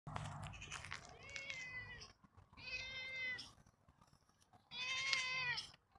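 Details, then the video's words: Roger, a pet cat, meowing indoors: three drawn-out, harmonic meows in just over six seconds, each with a gently rising then falling tone, separated by short quiet gaps with faint rustling. "Meowy Roger"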